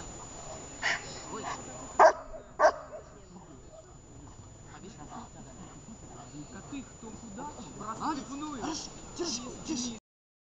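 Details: Shepherd dog during a training session in Horlivka on 6 June 2021, giving a few sharp, loud barks in the first seconds. The handlers keep talking quietly, giving commands and praising the dog, with softer noises in between.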